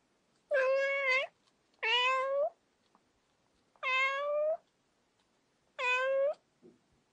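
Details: Domestic cat giving four drawn-out meows about every one and a half seconds, each steady and slightly rising at the end, with quiet pauses between calls.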